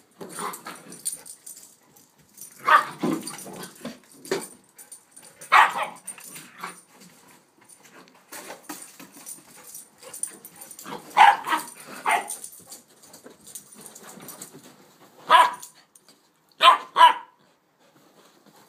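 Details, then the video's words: Playful barking from two puppy sisters, a one-year-old Rhodesian and an eight-week Shepherd/Rott pup: scattered yips and short barks spaced a few seconds apart, including a quick double bark near the end, over quiet scuffling. "Puppy Sisters Playing"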